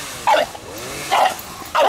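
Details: Dog barking noisily to call on her friends, three short barks spaced about three quarters of a second apart over a steady background hum.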